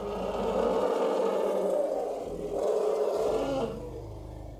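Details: Charging African elephants on the Serengeti savannah trumpeting loudly: a continuous, harsh, rasping roar that surges twice, with a brief dip between the swells, then fades at the close.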